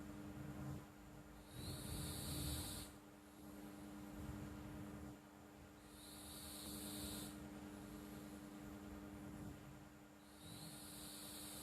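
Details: Pet cat named Flo snoring while asleep: soft breathy hissing bursts recur roughly every four seconds over a faint low rumble, with a steady background hum throughout.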